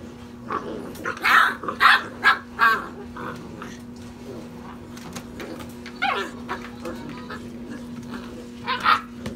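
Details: Playing European Basset Hound puppies aged six and a half weeks give a quick run of four loud barks early on, then quieter yips and a final pair of sharp barks, over a constant low hum.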